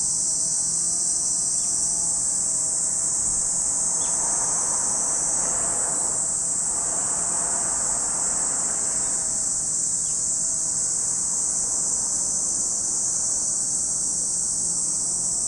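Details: Lake Kamo, Sado City, Niigata Prefecture, Japan: cicadas keep up an even, piercing high buzz, while a broader mid-range swell of noise rises and fades in the middle section.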